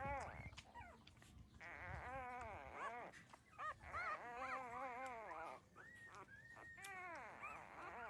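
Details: Litter of 13-day-old puppies drinking their mother's milk; dense, overlapping high whines and squeals, some arching up and down, others held flat, nearly continuous across the clip.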